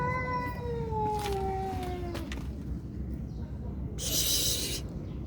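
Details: Cats fighting: a long, drawn-out harmonic yowl that slides slowly downward over about two seconds, followed after a pause by a sharp, breathy hiss, with steady low background rumble.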